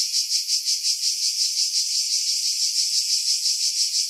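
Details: Cicadas singing in pine trees about 50 m above the sea at Pefkos Bay, Skiros Island, Greece, in July 2018: a loud, high, continuous buzzing drone that pulses roughly three times a second, filtered to remove wind buffeting.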